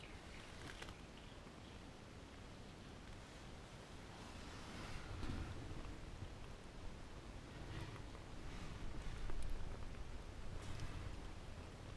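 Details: Soft rustling and low background rumble, with a few brief louder scuffs and no clear animal voice.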